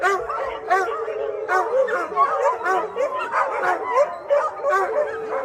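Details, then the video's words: Hundreds of shelter dogs howling together after a thunderstorm: a dense chorus of overlapping wavering howls and yips, many voices rising and falling at once with no pause. "The Sound of 600 Dogs Howling Together After The Thunderstorm"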